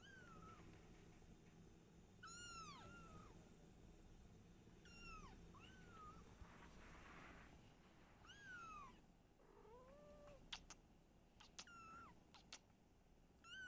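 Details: A domestic mother cat named Silky with her kittens indoors, the mother trying to hide them: repeated arched meows roughly every two seconds, some high and thin, one lower drawn-out call, and sharp knocks and clicks near the end.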